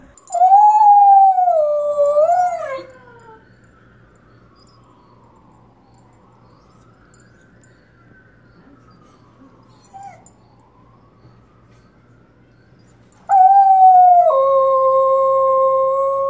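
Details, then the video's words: Miniature Australian Shepherd named Arrow howling at passing sirens on a nearby main highway: a sustained, wavering howl rising and falling, fading into a distant siren, then a second loud steady howl; a person calmly reassures the dog. "mini aussie shepherd howling at sirens"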